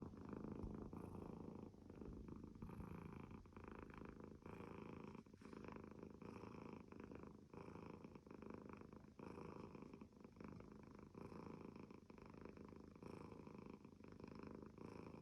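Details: Domestic cat purring while snoring indoors, a steady low rumbling purr running continuously with soft rhythmic pulses and gentle breathing swells throughout.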